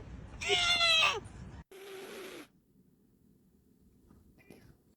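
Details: Domestic cat making a weird meme-like noise: one loud, wavering, high meow lasting about a second, then a shorter, lower drawn-out tone, followed by near silence and a faint final squeak.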